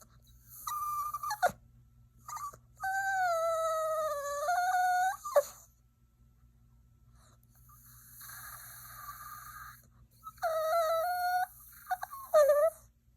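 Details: Yorkshire Terrier puppy whining: long, high, nasal tonal whines that waver and bend upward, each lasting one to three seconds, with short sharp squeaks between; four main bouts separated by quiet pauses, no other sounds.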